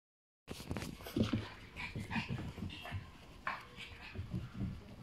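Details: A pied French Bulldog puppy born 27 July 2020 gives thin, high whimpering whines in short separate bursts among soft low snuffling and shuffling noises after a brief silent start.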